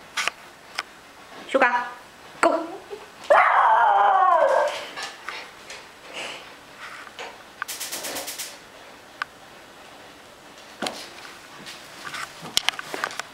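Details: A female Miniature Schnauzer lets out a short, wavering, whiny howl that rises and falls, asking for help getting her toys; a person speaks nearby amid scattered clicks and household sounds.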